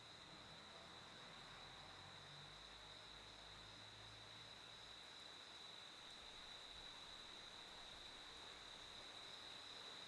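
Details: A cricket keeps up a steady high, ringing trill at a single pitch over hissing background noise, while a low rumble, like a passing vehicle, rises briefly early on and fades.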